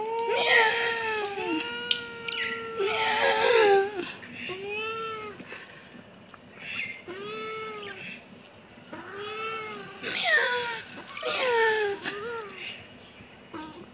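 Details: A kitten meows insistently, about ten rising-and-falling cries, some short and some stretched, coming in quick pairs with brief pauses between, in a quiet setting.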